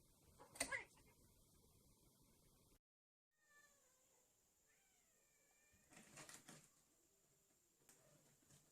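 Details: Cat at a rural home where stray cats and a mother cat with kittens are fed, on a chilly day: a sharp knock, a short silence, then a soft wavering meow with a rising-then-falling tone, followed by rustling and shuffling.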